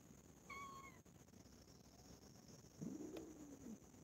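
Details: Cats, four of them from one family, playing and quarrelling with each other; a short, high, thin meow, then after a pause a lower, longer drawn-out meow, both faint over a steady background hiss.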